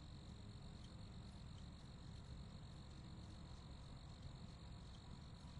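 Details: Crickets giving an unbroken high trill at a constant pitch, quiet and even, with a couple of faint clicks and a low murmur of background noise.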